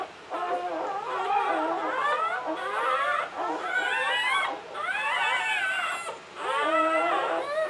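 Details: Latte, an English Springer Spaniel, whining in labour in 2013 while delivering the seventh of nine puppies; long, wavering, drawn-out cries that rise and fall almost without pause, breaking briefly twice.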